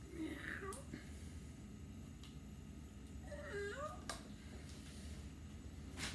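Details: Cat giving two separate meows about three seconds apart, each a brief bending cry, with quiet room hum and a few soft clicks between them.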